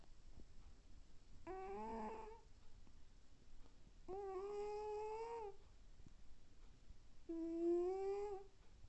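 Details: Sleeping domestic cat snoring loud enough to fill the house: three drawn-out, tonal, nasal-sounding snores, each about a second long, coming roughly every three seconds in a small indoor room.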